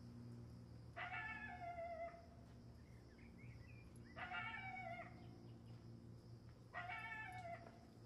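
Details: A golden jackal gives three high, wailing cries, each about a second long and a few seconds apart, warning a pack of dogs.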